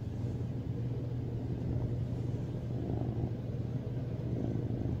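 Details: A male tuxedo cat, adopted as a rescue and born in 2019, purrs loudly in a steady, low, rumbling drone while lying on top of his owner, seeking affection and cuddles.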